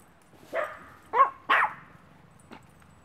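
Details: A one-year-old female Maltese awaiting adoption at a Brooksville, Florida rescue; three quick, high yaps follow one another within a second, then a single fainter yip after a short pause.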